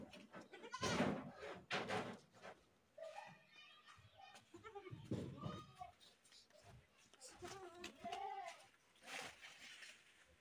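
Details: Goats screaming with a series of quavering, harmonic bleats at varied pitches, mixed with loud thumping and noisy bursts through a busy, cluttered background.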